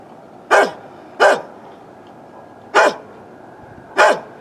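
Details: Old neighbourhood dog barking, captured with a Canon Vixia HF R800 camcorder; four strong, harsh barks, two close together, a pause, then two more, each ending in a short downward slide.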